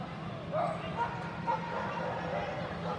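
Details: Havanese named Paco barking on an AKC Excellent JWW agility course, 22 September 2018; a couple of brief yappy barks close together amid background chatter and arena noise.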